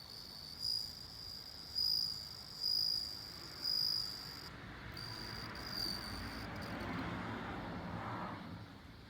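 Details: Bell cricket giving four evenly spaced, high, ringing notes roughly a second apart, followed by several seconds of broad rushing noise like a passing vehicle.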